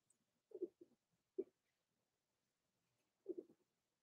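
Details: Blenheim Cavalier King Charles Spaniel puppies, three weeks old, in an overnight indoor livestream: a few soft grunting whimpers in brief clusters, a pause of nearly two seconds, then another short whining burst.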